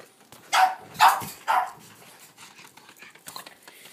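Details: Boston Terrier named Rose, thrilled by a ball and dribbling it around as she plays: three quick, harsh barks in a burst, then quieter rustling and faint panting-like sounds.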